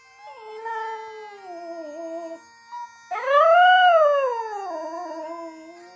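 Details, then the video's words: A Border Terrier howls along to bagpipes from the Edinburgh Tattoo. A sliding, slowly falling howl is followed by a brief yelp and then a loud arching howl that rises and sinks, over steady bagpipe drones. "Border Terrier Singing"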